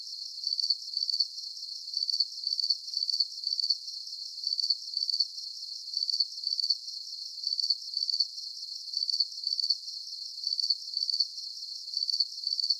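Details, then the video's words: Crickets for a 40-minute sleep soundscape, chirping continuously. Each high, ringing chirp is followed closely by a second, and the doublets recur at a constant rhythm. The sound is confined to the treble. "Calming Cricket Sounds"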